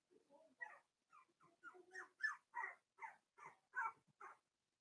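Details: Four-week-old Cavalier King Charles Spaniel puppies in a pen, from Daisy's litter: a run of about a dozen short, soft whimpering squeaks at roughly two per second, each brief and mid-pitched, no other sounds present.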